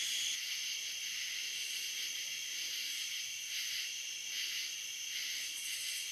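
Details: Cicadas along the Licking River in Morning View, from a recording made dusk to dawn: a dense, hissing buzz fills the high range, swelling and easing in soft waves over a steady, high, whistled insect drone.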